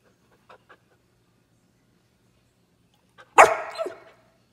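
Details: An angry Chow Chow gives a single harsh, rasping growl-bark that trails off roughly over about a second.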